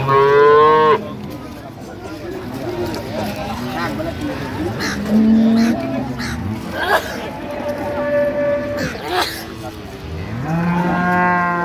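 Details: Dairy cows and calves of an improved milking breed at Ambari cattle market in Dinajpur, Bangladesh, on 28 September 2025: several loud, drawn-out harmonic moos, one opening and another closing, amid steady chatter of traders bargaining.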